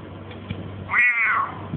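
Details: A pet cat answering its owner, who keeps urging it to say quack: one meow rising briefly and then falling away in a long descending tail, with low background hum.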